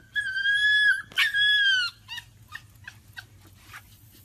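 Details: Husky puppy giving a long high whistled whine, then a second slightly falling whine, followed by several short soft yelps and whimpers trailing off.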